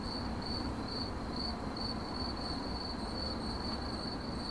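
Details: Cricket chirp in 8D audio: a high, thin pulsing tone broken into short bursts about twice a second, above a dense low background rumble.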